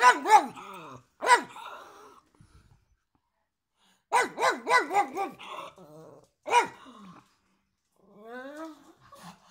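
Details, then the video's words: Pug giving short harmonic barks, then a rapid run of four or five barks in a row. The sequence ends with softer whining, warbling tones. "Pug Bark"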